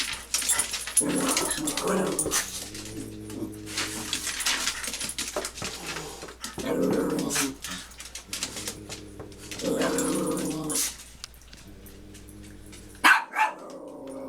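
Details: Dogs squaring off indoors, several dogs facing each other: repeated low harmonic growls in bursts of a second or two, rising into louder snarling barks, with a sharp squeak near the end.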